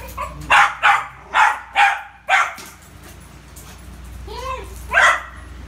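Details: Rio the Poodle at ball play: five quick, punchy barks in the first two and a half seconds, then a short rising-falling whine and one last bark near the end, over faint room hum.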